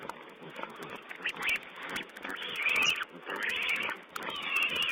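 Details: Feeding wild boar piglets on a wildlife camera, 16 April 2010: a run of piercing squeals, some long and rising, others clipped, grow louder toward the end among irregular chatter.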